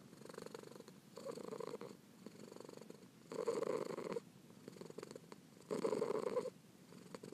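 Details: Purring from Pearl the kitten for relaxation: a gentle rumble with louder exhalation phases recurring about every two seconds, the later ones stronger.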